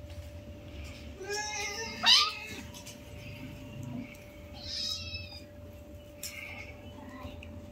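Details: Tiny newborn kitten mewing while playing with its mother, one of five kitties: several thin, high, quavering cries, one sharp loud squeak in the middle, over a constant electrical hum and soft handling noise.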